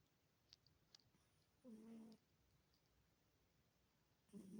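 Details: Peppa, a pet cat, snoring while asleep indoors: two short, low, buzzy, droning breaths about two and a half seconds apart, each lasting roughly half a second, with quiet faint clicks in between.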